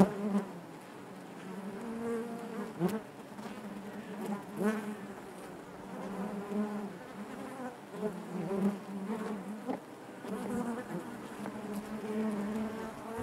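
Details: Honey bees buzzing inside their hive, a dense steady drone centred low with harmonic bands above, swelling and fading as individual bees pass close; no other sounds.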